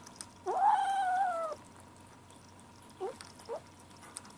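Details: Ashe, a gray kitten aged seven weeks, makes a one-second tonal mewing note while eating his lunch, followed by two brief chirp-like peeps; quiet indoor room with a steady low hum and soft clicks.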